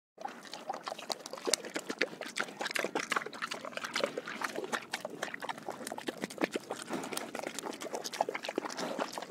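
A pig drinks noisily, with steady wet slurps, splashes and clicking gulps of water.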